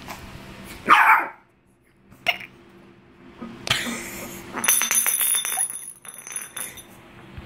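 A Shih Tzu gives one short, sharp bark, followed by clattering and clinking household noises.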